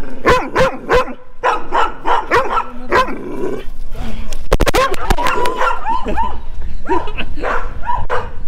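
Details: Rough Collies, four large dogs, barking while chasing a person; bursts of sharp repeated barks from several animals overlap, with a brief clattering knock near the middle before the barking resumes.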